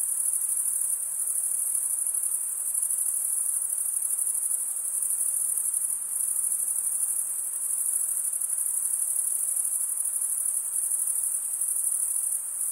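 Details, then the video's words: A chorus of male crickets chirping through stridulation, the serrated wing vein rasped by the other wing: uniform high, buzzing trill sustained across the whole stretch at even loudness, only light background hiss beneath. "Most relaxing cricket sound for 8 hours"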